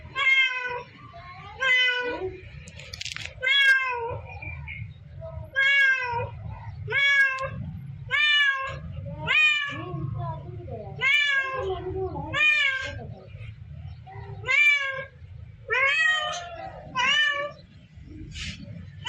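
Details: Domestic cat meowing over and over, about fourteen drawn-out, wavering meows in under twenty seconds. Each has a rising-then-falling pitch and a bright, nasal tone. A steady low hum runs beneath.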